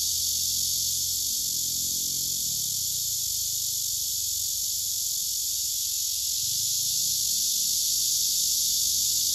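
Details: Male cicada singing on a tree trunk beside another male that listens, filmed on a phone among several cicadas gathered on trees; a steady, dense, loud buzzing drone fills the high range without break, with faint low rumbles beneath.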